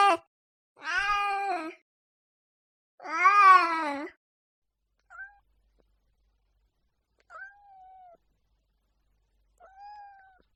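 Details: Cat yowling angrily: two loud, harsh, wavering cries of about a second each, followed by three much fainter short whining mews trailing off across the remaining seconds in an otherwise silent background.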